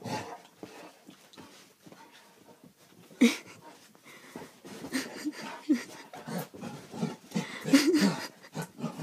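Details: A dachshund and a basset hound at play give short, sharp yips and grumbling barks amid panting and scuffling.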